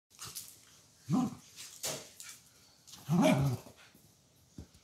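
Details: Schnitzel, a Dachshund kept indoors on a rainy day, gives two short, low barks about two seconds apart, with soft broadband background noise and faint clicks between them.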